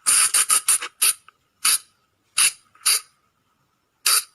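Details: Night lure call of the Sunda flying lemur. A rapid run of five harsh, shrill bursts opens the clip, followed by single spaced squeals carrying a faint thin tone between them.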